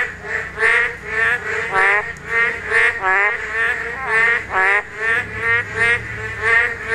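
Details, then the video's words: Korean narrow-mouthed toads calling at spawning time. Several callers overlap in nasal, harmonic croaks that rise and fall, repeated roughly every half second to second in a pulsing chorus. "맹꽁이 산란!! 맹꽁이 울음소리"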